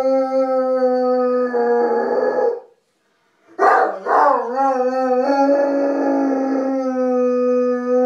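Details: A Saint Bernard howls in long, steady, rich-toned notes, broken by a brief pause and a wavering restart, apparently in response to a distant siren that is inaudible in the recording.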